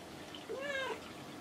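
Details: Pet cat Kinako, who now often sits on shelves and cage tops, answering her owner's voice with a single short meow that rises then falls, in a quiet indoor room.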